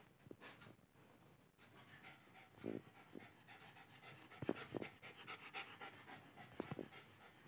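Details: Lhasa Apso puppy Alice playing, breathing in rapid noisy huffs and pants, with a couple of short faint whiny tones and occasional thumps against a steady low hiss.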